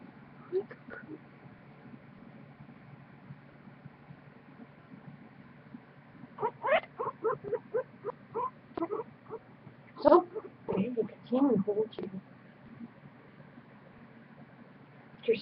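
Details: Purring from Goku, a big one-and-a-half-year-old pet guinea pig: after a quiet start comes a run of quick, clipped, buzzy chirps, then a louder burst of several harsher notes, and a final squeak near the end.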